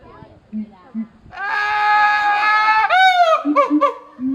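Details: A siamang at Higashiyama Zoo gives soft low booms, then a loud, harsh drawn-out cry and quick falling hoots.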